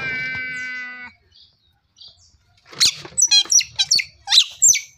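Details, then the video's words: Otter giving a burst of sharp, high chirps and squeaks in quick, uneven succession after a brief steady droning tone and a short pause. "カワウソの鳴き声 Otter ling noises"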